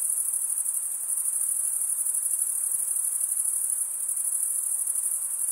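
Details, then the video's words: High, even cricket chirping made by males rubbing their wings together, a dense fast-pulsed trill held at constant loudness without a break; background otherwise quiet. "Most relaxing cricket sound for 8 hours"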